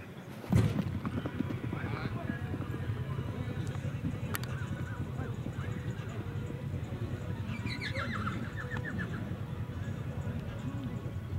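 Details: Big bay Tennessee Walking Horses on a track in Douglassville, Texas, warming up before a trail ride; one loud thump, then a short, quavering, descending whinny midway, over constant low rumbling and handling noise.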